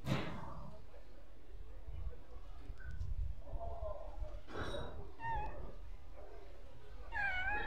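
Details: Stray street cat meowing, with short tonal meows near the middle and a longer, bending meow near the end, over steady low outdoor rumble and a brief noisy burst at the start.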